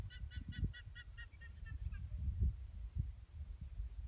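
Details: Guanacos near Drago Aurifera in Patagonia giving a series of short, evenly spaced nasal calls, about ten in quick succession and falling slightly, over low rumbling wind noise.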